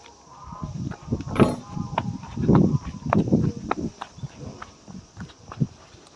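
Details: South American sea lion at Himeji City Zoo, Japan, whose call is likened to a lion's roar: low, rough, growling bursts pulsing several times over six seconds, with sharp clicks and faint background noise.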